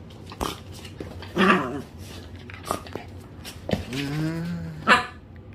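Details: Pet dog named Miru playing at home, giving short rough growly bursts, then a longer drawn-out low growl that bends upward before fading, with thumps and scuffing from play in a quiet room.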